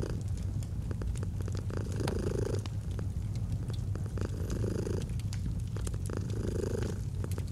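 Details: Cat purring steadily by a fireplace in autumn: a deep continuous hum that swells roughly every one to two seconds, punctuated by bright clicks and pops of burning wood.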